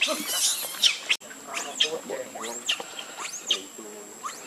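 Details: Baby monkey Leo crying while begging its mother for milk: a series of arched, wailing harmonic cries rising and falling about once a second, mixed with sharp clicks and rustling, over a faint steady high-pitched hum.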